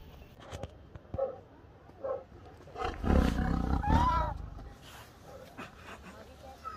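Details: Tiger at Nainital Zoo, close behind the bars: a deep low rumbling roar swells at around the three-second mark and lasts about a second. People talk in Malayalam before and after it, with a few soft thuds.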